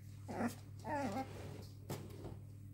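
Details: Prague Ratter puppy from litter W during a family game indoors: two short, whiny whimpers with wavering, rising and falling pitch in the first second and a half, then a single sharp knock, all over a steady low hum.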